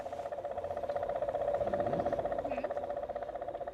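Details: A cane toad (Rhinella marina) at Taren Point gives a long, steady, low trill, the advertisement call of a sexually active male, raising concern that toads are breeding there.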